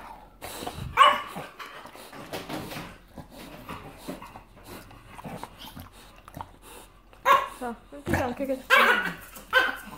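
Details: On 4 Jan 2018, during difficult nail clipping, an English Bulldog gives rough, harsh barks and throaty grumbling whines in short bursts, louder near the end, then chews the woman's hand as she coaxes and exclaims in pain; English Bulldog.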